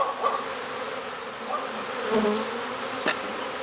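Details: Honeybee swarm during swarm season, being recovered from next door after escaping its keeper's hive. A steady, broad droning hum runs throughout, with a few short tonal notes and faint clicks.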